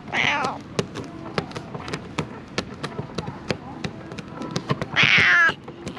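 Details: Stray cats living among illegally dumped rubbish, filmed on a GoPro HERO8 Black with Media Mod: two loud, harmonic meows, one opening and one closing the clip, with sharp regular tapping clicks between them.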